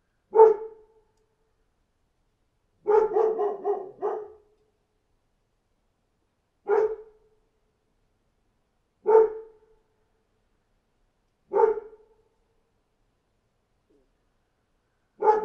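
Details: A dog barks outside in spaced single barks roughly every two to three seconds, with one quick cluster of four barks near the three-second mark, clean silence between.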